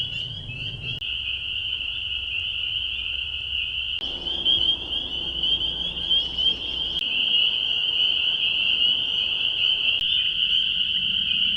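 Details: A dense chorus of spring peepers at the Bashakill, many high, piercing peeps overlapping into a steady shrill ring, captured by an acoustic monitor.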